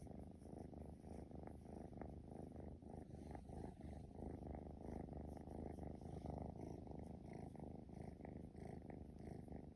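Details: Male Scottish Fold kitten, straight-eared, born March 2020, purring while playing indoors: a continuous low rumbling purr with fast, slightly uneven pulses, steady in loudness throughout.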